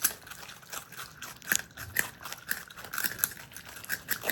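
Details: Marmot brothers, pet Himalayan and Alpine marmots living indoors, chewing food: quick crunchy bites and crackling snaps in a steady irregular rhythm, several sharp cracks per second, with a faint room hum beneath.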